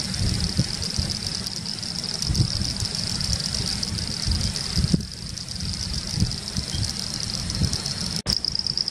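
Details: Pseudopaludicola falcipes and Elachistocleis bicolor calling at Laguna Garzón, Maldonado, Uruguay, in December 2019: an unbroken high buzzing trill chorus, gusty low rumble, a sharp click near five seconds and a brief dropout near eight.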